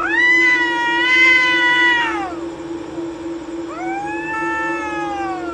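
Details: Two cats sitting on a wall, fighting at night in a courtyard: a loud sustained yowl lasting two seconds, dropping off at the end, then a second wavering wail begins after a short pause, over a constant hum.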